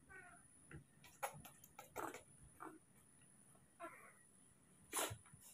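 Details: Newborn baby monkeys named Moni and Mino, hand-raised in care, during muscle strength training: brief whimpering harmonic cries at the start and again near four seconds, amid rustling handling noises, sharp clicks and a soft human voice.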